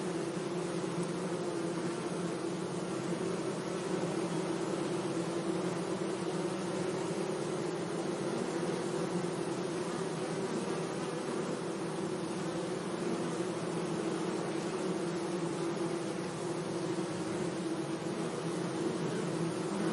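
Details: In a sunny meadow, bees hum gently among flowers: a level, monotonous drone layered from several insects, steady in loudness across the whole stretch, with light background hiss.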